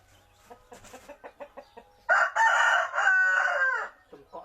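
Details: Village fighting cock crowing: a run of short, evenly spaced clucks leads into a loud, harsh, sustained crow of nearly two seconds with a brief break midway, then more clucking at the end.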